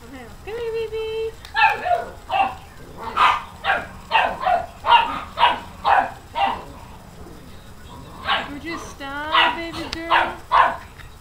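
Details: Several pet dogs barking at a new puppy: a long run of sharp, fairly fast barks at about two per second, broken by high-pitched whines and yips near the start and toward the end.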